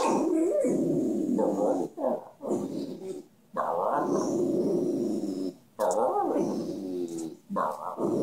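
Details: Dante, a dog that 'talks', makes a long run of loud, harmonic grumbling and moaning sounds that rise and fall in pitch, broken by short pauses, like a drawn-out complaint.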